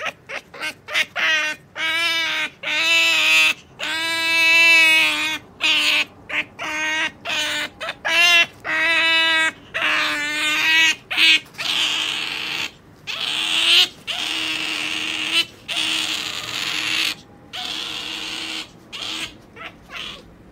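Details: Sakura the pet otter keeps calling while held back from a jerky treat she is told to wait for. Clear, harmonic squeals come first, then a run of fainter, clipped chirps.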